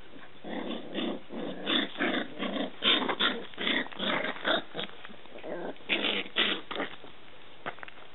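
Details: Scottish Terrier puppies of a dog named Etna, giving a rapid run of short, harsh yelps and growly whimpers that overlap in uneven bursts, roughly three per second, over about eight seconds.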